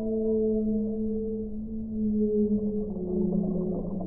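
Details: Singing whale gives long, loud, pure moaning tones with clear overtones, held steadily and then wavering and sliding slightly downward near the end, above a faint low background rumble.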